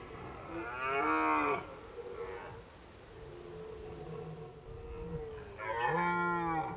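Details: Wild red deer in Krasny Bor on 1 October 2015, during a warm autumn spell of Indian summer, giving loud, deep, harmonic bellows near the start and end, with quieter drawn-out moaning calls between.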